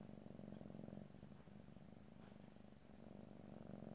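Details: Soft, rhythmic rumbling purr of a house cat captured in stereo without talking, louder at start and end with a quieter stretch between breaths.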